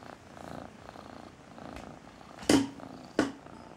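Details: Purring domestic cat, its purr billed as the "tractor driver's song": a soft low rumble swelling and fading with each breath, broken by two loud sharp knocks late on.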